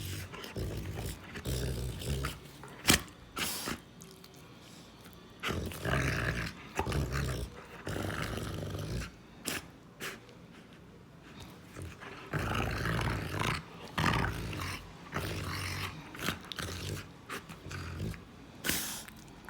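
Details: Intermittent deep growls from a female Rottweiler come in short rumbling spells separated by quieter gaps, mixed with sharp clicks and knocks.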